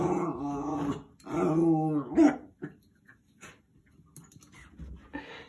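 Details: Jack Russell Terrier playing with and fighting the head of a cleaning brush; two drawn-out, wavering growling whines in the first two seconds, then quieter scuffling and faint thumps.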